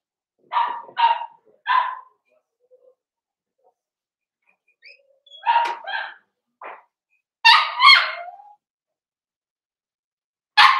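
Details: Blenheim Cavalier King Charles Spaniel puppies, five littermates born on New Year's, bark in quick short bursts indoors: three yaps, a pause, then a clustered group of higher barks and a final yip.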